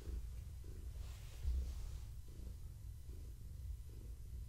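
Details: Gaia, a pregnant long-haired tabby cat, purrs while being petted and scratched during an evening check on her unborn kittens; a steady low rumble pulses with each breath, roughly every half second, with a brief louder bump midway.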